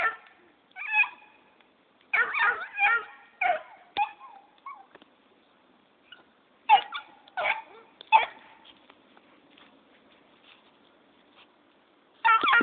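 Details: Black and Tan Coonhound puppy named Jake barks while its owner is leaving; irregular bursts of yelping, bawling barks separated by pauses of one to three seconds, with a few soft clicks between and a final bark at the end.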